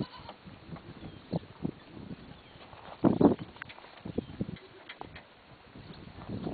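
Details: Goats playing together in a pen shared with other farm animals; one short, loud bleat-like call rises out of scattered low thumps and rustling near the middle, with quieter shuffling and soft calls around it.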